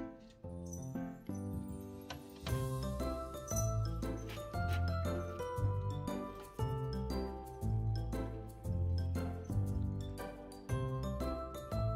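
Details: Gentle music with tinkling bell-like notes and a soft bass line throughout, no animal voice standing out.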